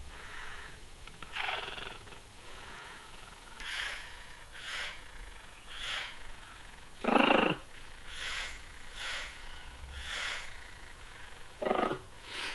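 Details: Domestic cat purring, a sound of relaxation, contentment or comfort: soft breathy rumbling pulses repeating roughly once a second, with two louder rasping bursts near the middle and end.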